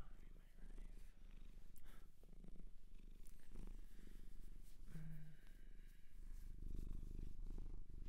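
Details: Close indoor recording of a Japanese shelter cat purring, a deep, even, pulsing rumble that runs throughout, with faint murmured speech and light rustling in the background.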